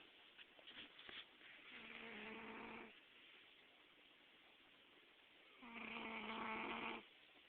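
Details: Pet cat snoring while asleep and dreaming, recorded July 2009; two drawn-out buzzy snores about a second long, separated by a quiet pause, with faint soft rustles at the start.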